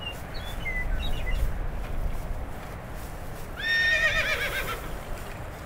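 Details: A wild horse roaming free in North America lets out one long wavering neigh, its tremulous pitch sliding downward, preceded by faint high squeaky calls and set against steady open-air background noise.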